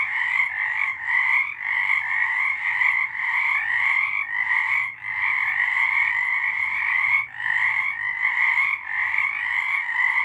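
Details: Frogs singing at night in March 2023: a dense, unbroken chorus of overlapping pulsed croaks in two bright pitch bands, briefly dipping near the fourth, fifth and seventh seconds, with no other clear sounds.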